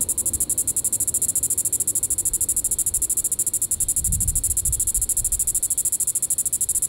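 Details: Diceroprocta vitripennis cicada calling in the evening at Sand Hills State Park, Reno County, Kansas, July 20, 2014: a loud, high, hissing buzz pulsing rapidly and evenly throughout, with a soft low rumble of wind underneath.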